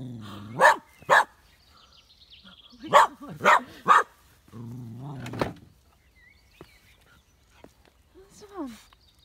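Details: Gus, a two-year-old partially sighted Westie at home in Tain in the Scottish Highlands, barks at his own shadow on a sunny day: five sharp barks in two bursts, paired then a quick triple, with a person talking in between.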